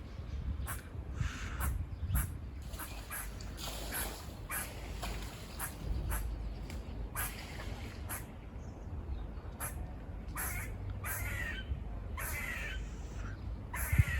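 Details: Buzzy barking from squirrels seen climbing and running near a farm: a long run of harsh, clipped bursts, roughly two each second, some louder and raspier than others, over constant low background rumble.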